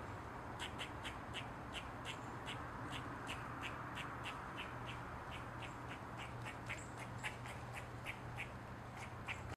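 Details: Eastern gray squirrel on a mushroom, calling in a long, fast run of short, sharp, clicky chirps, roughly three each second, fairly quiet and evenly paced over a low background hum.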